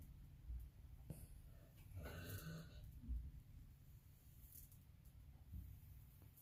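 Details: Jjuni, a 22-year-old Maltese dog, snores in his sleep like a person, a trait that came with old age. One breathy, rasping snore swells around the middle, framed by soft low rumbling breaths in a quiet room.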